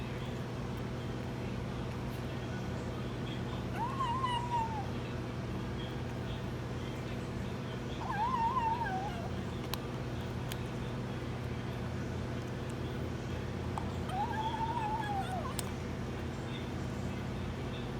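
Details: Kitten eating hard cat food making weird noises: three arched, whiny mews spaced several seconds apart, each rising then falling, over constant low hum with occasional clicks.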